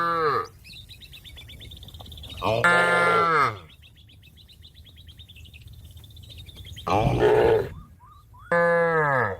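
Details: Cattle mooing to call a companion that is eating grass to return home to its barn; four strong, harmonic moos come at irregular intervals, and thin, warbling birdsong fills the gaps.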